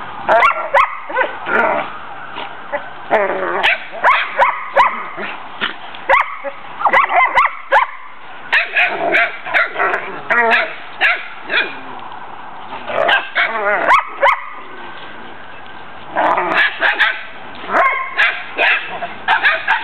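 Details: Collies at play in a backyard: mother Tesla and father Braedyn wrestling, with Tennyson the talker and his puppies joining in before the pups leave for new homes. Dense overlapping barks, yips and whines from several dogs in rapid bursts.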